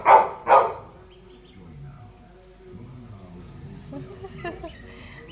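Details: Pet Labrador Retriever on a morning at home barks twice in quick succession at the start, then quieter household sounds and soft talking follow.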